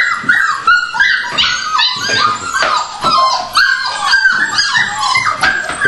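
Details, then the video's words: Eager dogs at feeding time yipping and whining rapidly, about two and a half cries a second, sharp falling squeals crowding together indoors. "Feeding dogs 2"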